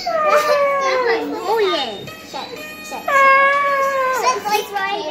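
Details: A male Siberian Husky howling along to a video of himself gives long, wavering howls that slide down in pitch, with voice-like yodeling breaks.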